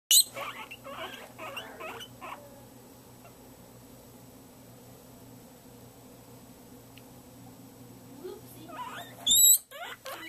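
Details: Pet guinea pigs indoors in the morning, excited as vegetable feeding time nears: a cluster of high squeaky calls in the first two seconds, a quiet stretch, then loud piercing squeals near the end.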